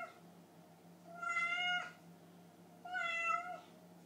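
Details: Two hungry house cats, kept indoors and waiting after their owner stayed late at work: two clear, drawn-out meows about one and a half seconds apart, each rising then sliding down, over a steady low household hum.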